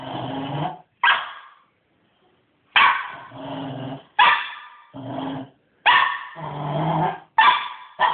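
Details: Cairn Terrier puppy, male, going hyper after his morning walk, giving harsh broadband barks and growly bursts in uneven clusters with short silent gaps between them.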